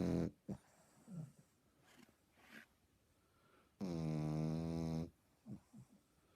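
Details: Eighteen-week-old French Bulldog puppy snoring loudly, one long harsh, buzzing rattle lasting over a second, with short snuffly breaths and soft snorts before and after.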